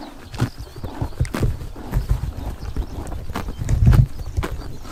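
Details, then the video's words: Grazing horses in Mongolia's Tuv province on a summer morning: close, deep, muffled munching with thuds and crunches, a louder cluster of bites near the end, little else audible. "Horses eating grass in summer morning / chomping noises"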